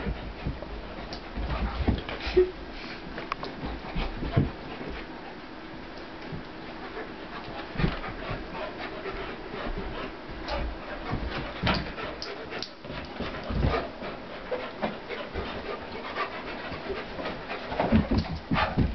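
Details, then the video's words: Rough play between two dogs, Corona the pitbull and the much heavier German Shepherd Warlock: continuous breathy panting with bursts of huffing, snorts and scuffling knocks, louder toward the end. "Dogs play fighting"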